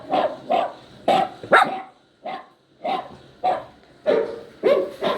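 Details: Yowling poodle puppy with a poodle listening nearby: a string of short, tonal yelping cries, roughly one every half second, one brief pause midway.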